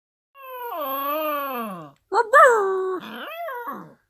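A German Shepherd puppy howls in drawn-out, wavering tones that break into higher yelping notes.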